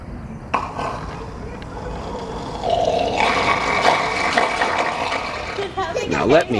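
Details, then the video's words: Male seal at Henry Vilas Zoo, Madison, Wisconsin, on 23 July 2016, giving a long gurgling, throaty, monster-like rumble that swells and holds for several seconds, with people talking and exclaiming over it. "Seal Makes Craziest Noise"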